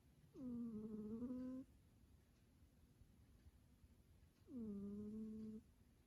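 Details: Domestic cat named Cicillia snoring while asleep: two drawn-out nasal tones with layered harmonics, each lasting about a second, separated by roughly three seconds of quiet breathing in a small indoor room.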